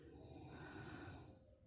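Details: Tibetan Mastiff puppy asleep, snoring: one rough, breathy, rasping snore lasting over a second, then fading.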